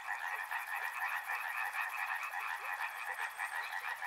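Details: River frogs in full chorus: overlapping rapid croaking pulses blend into a continuous rattling trill, with a thin, very high, evenly pulsed ticking running above throughout.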